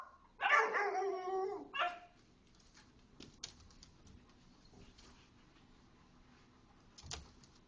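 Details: Small dogs at play in a little dog group using the big dog play area: one long, ringing, harmonic bark-howl followed by a shorter yap, then quiet clicks and a faint final yip.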